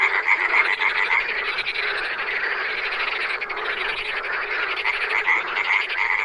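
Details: Wild frogs calling together in a dense, unbroken chorus: many overlapping rapid pulsed croaks and rattling trills blend into a steady mid-to-high pitched wall of sound, with no clear pauses throughout.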